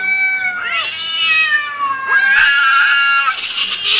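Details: Angry fighting cat giving a continuous drawn-out yowl, wavering tones bending up and down, turning harsher and noisier toward the end.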